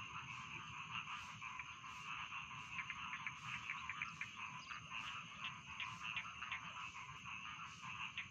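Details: Dense chorus of rice field frogs for falling asleep: rapid, overlapping croaks form a continuous shimmering drone, with sharper individual calls sticking out at irregular intervals over a faint low rumble.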